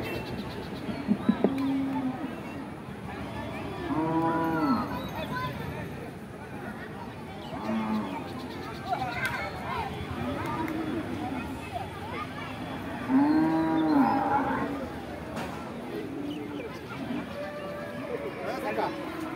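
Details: Cattle at a huge cattle and goat market in Hosnabad, Barisal, lowing in a few drawn-out, arching moos spaced several seconds apart, heard over steady crowd chatter and people talking nearby.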